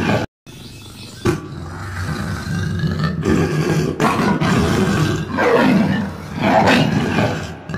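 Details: Lion (Panthera leo), roar.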